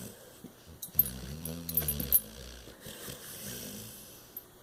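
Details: Sleeping soundly on a chaise lounge, Cash the bulldog lets out a long, deep, droning snore lasting about a second, framed by quieter wheezy breaths and faint snuffles.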